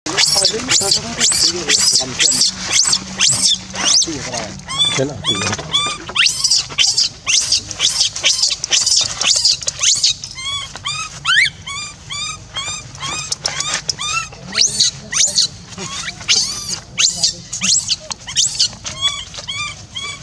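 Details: Young orphan monkey left alone, crying to call its caregiver back until losing its voice: rapid, shrill, high-pitched squealing cries repeated in dense bursts, with low background hum.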